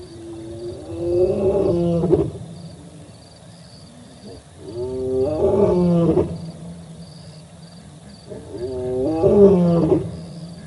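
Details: Male lion roaring at the Olifants River in Africa on 4 October 2020, picked up by a live wildlife camera: three deep, moaning harmonic roars about four seconds apart. Each swells and then breaks into grunts over a steady faint high hum.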